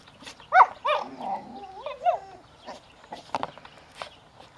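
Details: A dog raging angrily at her toy, giving a quick run of tonal, whiny growling yelps that bend up and down in pitch over about two seconds, followed by softer rustling and chewing noises.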